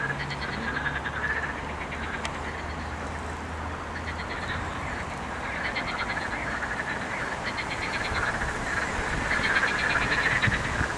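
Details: Chorus of croaking frogs recorded 8 May 2021, rapid pulsed rattles rising and falling in waves about every two seconds, over a constant low hum and background noise.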